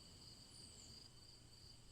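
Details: Crickets keep up a high, nearly continuous chirring trill for a bedtime tale, with a brief faint falling whistle partway through and a quiet low drone underneath.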